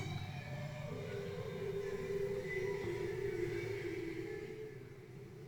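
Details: A bowhead whale singing off West Greenland, the first such recording there, gives a long, steady tonal moan that wavers slightly before breaking off; the song went on for hours.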